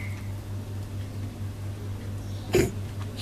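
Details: Quiet indoor room with a low steady hum and one brief sharp click near the end, and no animal call.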